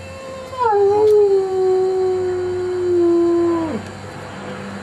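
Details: Kaiser, a pet dog who rarely even barks, howling for no apparent reason: one long sustained howl holding a steady mid pitch for about three seconds, then dropping sharply at the end, with faint room background.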